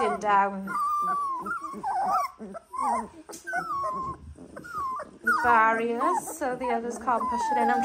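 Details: Young Dalmatian pups, 18 days old, give thin, wobbling whimpers and sliding squeaks, one steady whine at first, then scattered calls and a loud cluster of overlapping cries toward the end.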